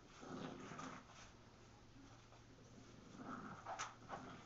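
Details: English Bulldog puppy Gus and French Bulldog Louie playing tug of war indoors with a plush chain; low rumbling growls in short bursts, with a few sharper higher notes near the end.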